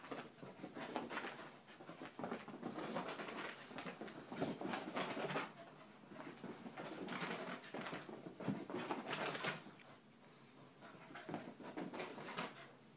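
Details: Ten-month-old puppy indoors in a small room, panting in fast, breathy bursts of roughly three per second, uneven in strength, with brief louder rasps between quieter stretches.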